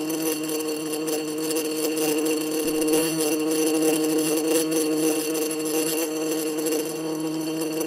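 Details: Continuous wasp buzz, possibly at a nest or in a jar: an even, sustained droning hum with a bright, rough edge, holding steady throughout with slight flutters in loudness.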